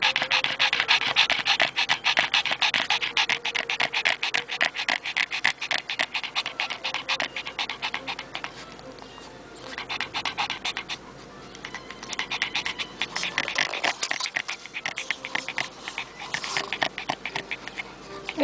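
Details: Oscar, an 11-year-old male Pekingese shelter dog from Richmond, British Columbia, Canada, pants in a car after a walk in the Terra Nova area on June 10, 2010; quick breathy huffs come in steady bursts while music plays in the background.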